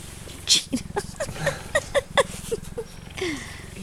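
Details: Cheetah purring: a steady low pulsed rumble runs throughout, overlaid by a series of short, sharp falling tonal notes repeated about every quarter second, with a faint human voice nearby.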